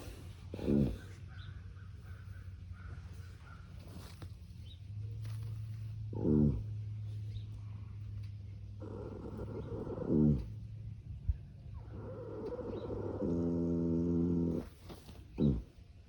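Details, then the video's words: Gypsy Vanner colt snoring while napping in the sun: low rumbling breaths with a few brief louder snorts spread across the stretch, plus a longer harsh, buzzy drawn-out rasp near the end. "Horse Snoring"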